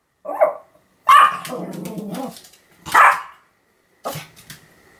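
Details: Pomeranian Sam barking repeatedly, recorded October 7, 2015; a small yap followed by a louder bark with a rough, growly tail, then another sharp bark and a shorter one, separated by silence.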